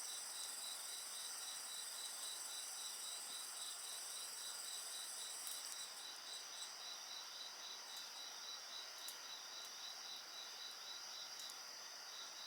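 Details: Steady insect song mixed with bonfire sounds: pulsed chirps near 4k repeated about four times per second beneath sustained high whining trills, plus scattered crackles and pops from the fire.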